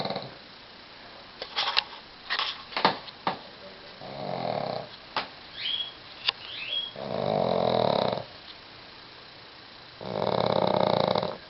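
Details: Golda, a pug, snoring while curled up in the bathroom with Fergus the Westie. Several clicks and small knocks come first, then three rough, rattling snores about three seconds apart, each lasting roughly a second.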